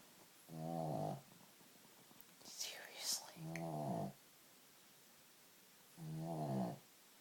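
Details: Small 15-pound pet dog, possibly with sleep apnea, snoring while asleep: three loud rasping snores, each under a second, roughly every two and a half seconds, with soft whispering between the first two.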